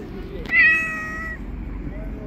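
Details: Street kitten climbing onto a lap gives one clear, fairly high meow lasting under a second, rich in overtones, then quiet outdoor background hum.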